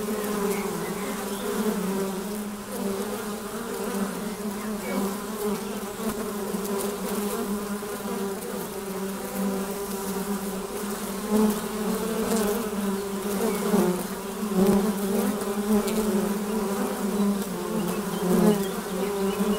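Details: Continuous buzzing of honey bees in flight before their hive entrance, many insects together making an even, droning hum, with louder passes of single bees near the end.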